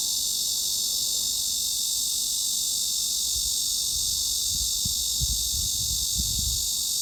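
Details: Cicada sound used as mid-frequency tinnitus masking: a constant, even high-pitched hiss-like drone with no pulses, while soft low thumps and rumbles appear in the second half.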